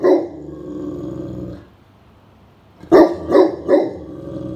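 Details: Great Pyrenees Blanche on guard duty while napping indoors on a summer afternoon, reacting to someone nearing the property; a long low growling bark, a silent gap, then three quick deep barks.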